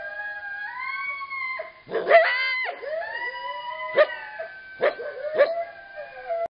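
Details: Several coyotes howl together at night in January, caught on a garage camera: long wavering tones broken by sharp yips and barks.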